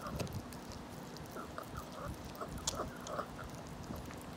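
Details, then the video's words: 17-year-old senior dog eating a rabbit-ear treat; crunchy, irregular chewing clicks and soft wet smacks scattered steadily throughout, over a faint low hum. "17세 노령견 먹방사운드 Eating sound"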